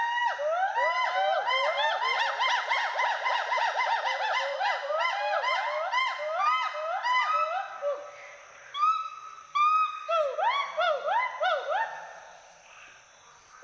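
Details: Pair of Western hoolock gibbons swinging and playing among trees in Hollongapar Gibbon Sanctuary, Assam; dense chorus of fast, rhythmic upward-sweeping whoops, later thinning to separate louder hoots with short pauses.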